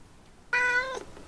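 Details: Single clear meow from an F6 Savannah cat kept as a pet indoors, a steady harmonic tone lasting about half a second before dropping off.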